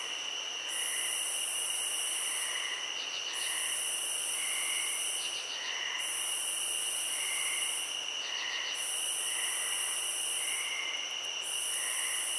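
Crickets keep up a steady, high-pitched ringing chorus, with bursts of quick trills repeating every couple of seconds.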